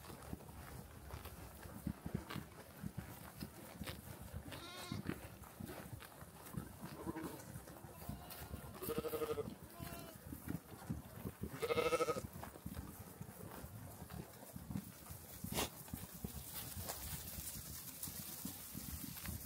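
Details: Sheep grazing on a green meadow give several wavering, nasal bleats over a steady outdoor background of wind and rustling.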